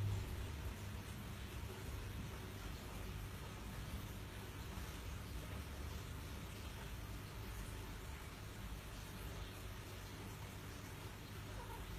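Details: Steady low rumble of traffic or machinery with no animal voices. Only a broad hum and faint noise fill the background throughout.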